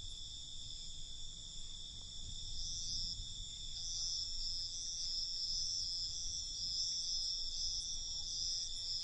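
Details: Night crickets chirping continuously, a dense high-pitched trill that swells slightly in the second half, pulsing in rapid beats, over a soft low background hum.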